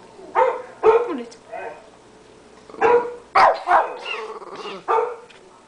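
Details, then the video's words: Small 13-pound Shih Tzu kept as a house guard dog barking at a computer: short harmonic barks in uneven bursts, a few close pairs, with a person's voice speaking nearby. "shih tzu barking at the computer"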